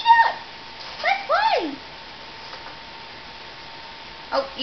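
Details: Newborn Nubian goat kids from two sets of twins born January 29, 2010, just taken from their mothers and learning to stand before a winter snowstorm. A few short, nasal bleats that slide downward in pitch, with a woman's coaxing voice nearby.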